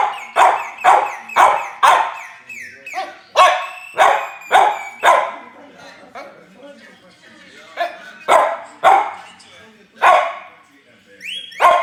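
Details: Jules, a French Bulldog, listening to whistling: rapid bursts of rough, yelping barks repeated roughly twice a second, a short lull of softer sounds in the middle, then more barks, with a thin whistled note near the end.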